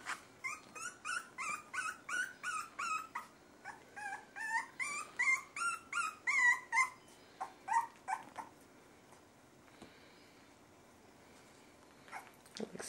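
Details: Miniature Schnauzer puppies aged 3.5 weeks whine in quick, high, wavering cries, several voices overlapping, with some growls.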